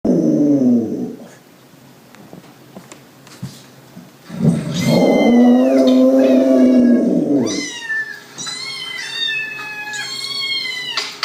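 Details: A female pit bull gives a long, low, wavering howl in response to high, sliding recorded cat meows played to her.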